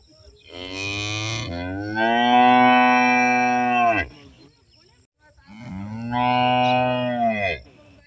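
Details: Village cow in India mooing twice: a long, steady, rich-toned moo after a short rough start, a pause of about a second, then a second drawn-out moo of similar length that fades at the end.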